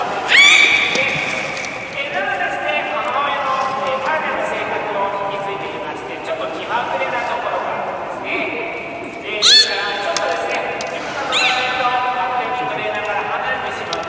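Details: Captive beluga during a public training session at Nagoya Port Aquarium on 24 March 2018, 16:30 show: sharp rising whinny-like squeals with rich overtones near the start and again around nine to twelve seconds, over steady talking and thin high whistle tones.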